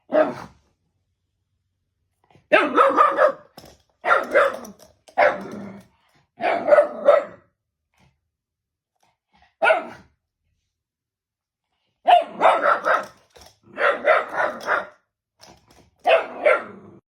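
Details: Shiba Inu named Fūta barking at something unseen: short sharp barks in bursts, singles and clusters of two or three, with quiet gaps between volleys.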